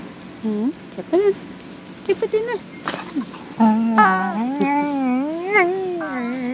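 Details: Female dog Punky 'talking' to her beloved toy chicken: a few short yelping whines, then a long, wavering, sing-song moan lasting nearly three seconds, its pitch swinging up and down, with steady indoor hiss beneath.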